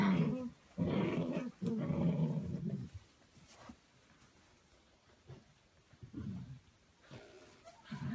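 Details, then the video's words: Puppies playing together, giving low rumbling growls in three long bursts over the first three seconds, then quieter growling bouts near six and eight seconds with near silence between. "Cute puppies playing game with other"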